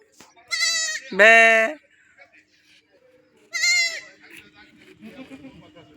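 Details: Domestic goat bleating while a young boy catches it: three loud, harmonic, wavering bleats, two short and one longer, over Bengali speech and quiet rustling.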